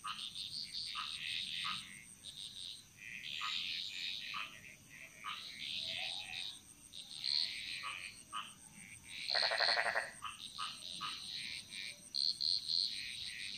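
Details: Frogs calling together in the jungles of Bali, a dense jumble of quick chirps and clicks with one rasping, pulsed croak rising out near the middle, against a constant thin high hum.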